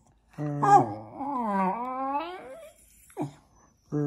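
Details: Indoor Jack Russell Terrier vocalising as if conversing with its owners: one long, moaning, yodel-like utterance that dips then climbs in pitch, followed by a short yelp-like note and the start of another moan.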